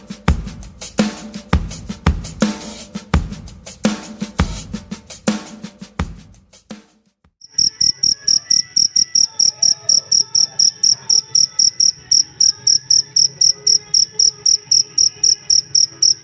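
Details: Cricket chirping, its sound used as a master recording for tutoring songbirds; loose drum-like knocks fill the first seven seconds, then high, pure, ringing chirps pulse steadily about four times per second until the end.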